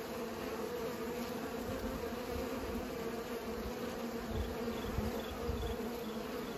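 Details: Steady swarm-like buzzing of bees pollinating, an even hum with occasional louder low passes near the microphone.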